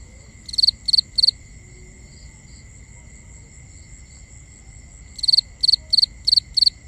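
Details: Crickets at night in binaural nighttime ambience: a quick run of three bright, pulsed chirps, a long pause, then five more in steady succession, over a faint continuous high insect hum.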